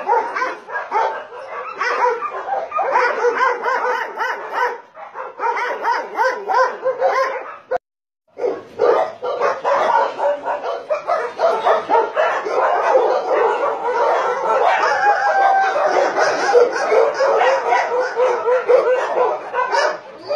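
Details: Dogs at a Nonsan, South Korea meat farm and puppy mill in January 2017 bark in a frantic, overlapping chorus over twenty seconds, broken by a brief silent gap, then resuming as a denser, higher-pitched clamor.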